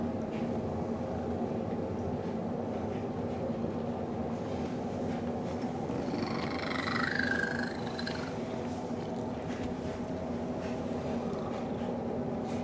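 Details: Indoor cat snuggling with a dog he loves, giving an unusual purr; constant low rumbling purr across the whole recording, with one short high squeaky warble partway through.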